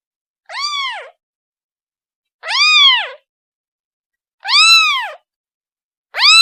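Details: A kitten cries out for its mother, giving arched, bright meows about two seconds apart, each lasting around half a second, pitch climbing then falling; three complete calls and a fourth beginning, silence between.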